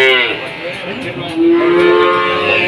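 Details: Cattle at the Jatirogo cattle market in Tuban, amid a foot-and-mouth disease outbreak and falling prices: a long, low harmonic moo swells midway and holds steadily to the end, over a murmur of market voices and background music.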